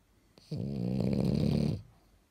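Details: Sleeping French Bulldog in pajamas gives one drawn-out snore of just over a second, deep and vibrating with a rough nasal rattle, in a quiet room.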